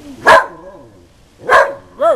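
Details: Barking frenzy from a female whippet reacting to the Goodyear blimp overhead: two loud sharp barks over a second apart, followed by a short rising-and-falling whine, with faint human speech between.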